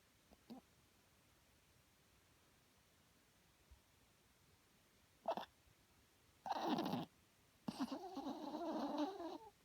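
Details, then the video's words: Small dog Herbie asleep and snoring, loud enough to wake someone at night: a few faint clicks, then short snorting breaths building to a longer, rough, wavering snore near the end. "Herbie snoring"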